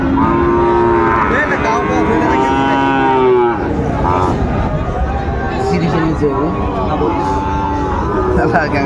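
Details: Sahiwal breed bull calves at a Chattogram cattle market in Bangladesh, 19 December 2024: a long, steady, low moo lasting about three seconds, followed by fainter lowing amid people talking and market bustle.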